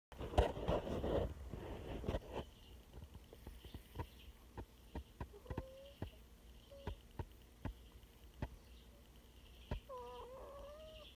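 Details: Coyote puppy giving a few short, thin whines, each rising slightly and briefly held, near the middle and again toward the end, amid scattered sharp clicks and taps, with loud rustling handling noise at the start.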